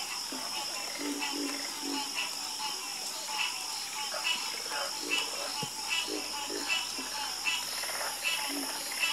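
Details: Frogs croaking together in a night chorus, overlapping short pulsed calls repeated at an uneven pace, roughly once or twice a second, with a steady high insect-like hiss running underneath.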